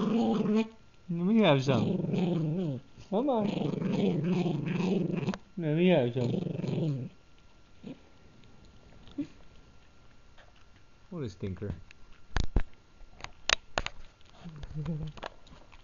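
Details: Gurgi the Pug, chewing a treat indoors, makes a run of low warbling growls with rising and falling pitch over the first seven seconds. Quieter chewing-like clicks and two sharp ticks follow, then a faint closing growl.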